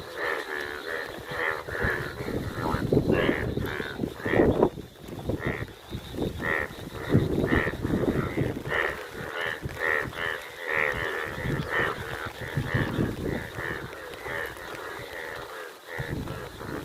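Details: Indian yellow bullfrogs playing in the rain give loud, harsh, croaking calls in quick repeated bursts, overlapping one another.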